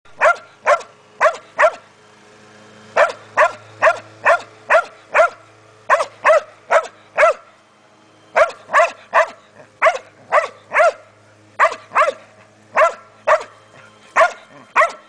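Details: Border Collies barking after finding a snake in a yard: loud, sharp barks in quick bursts of three to five, about 140 per minute, with short pauses between bursts.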